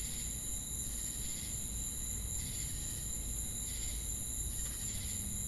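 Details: Shrill, unbroken ringing of crickets and cicadas, punctuated by faint rasping pulses at irregular intervals of one to one and a half seconds; a dull low hum runs throughout.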